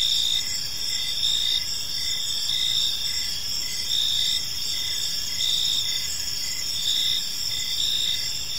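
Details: Crickets in a serene evening park give a steady shrill chorus of overlapping trills, pulsing in soft beats a little over once a second above low ambient noise.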